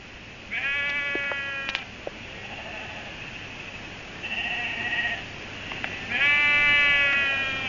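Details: Sheep on a farm after dark, ewes and lambs separated the night before and frantically calling for one another; three wavering, harmonic bleats about a second long, spaced irregularly, with a faint background hiss.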